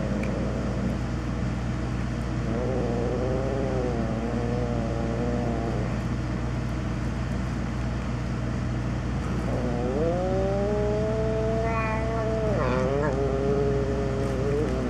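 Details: Feral cats at feeding time at Evergreen Valley College: two long, drawn-out meows, the first wavering, the second rising then held steady and ending in a brief upward break, over the loud, constant hum of an electrical transformer.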